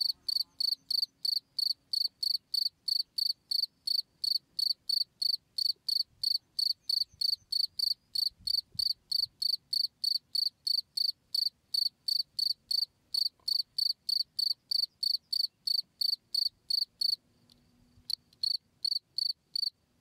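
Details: Steady cricket song intended for training cage birds: rapid, evenly spaced shrill chirps, about three each second, continuing almost without pause except one short gap near the end, over quiet low hum.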